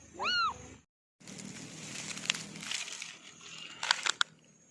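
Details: Single short, rising-then-falling meow from an orange kitten, followed by a brief gap and then rustling, handling noise and sharp clicks.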